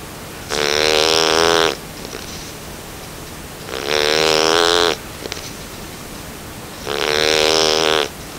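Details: Nine-week-old Bernese Mountain Dog puppy snoring in its sleep: three gravelly, buzzing snores of about a second each, evenly spaced around three seconds apart, with soft nasal breaths in the gaps.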